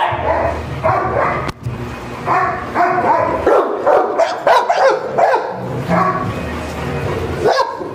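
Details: French Mastiff kept in a kennel in Varanasi, India, barking in repeated rough, hoarse clusters across the whole stretch, with a sharp click and some faint music in the background.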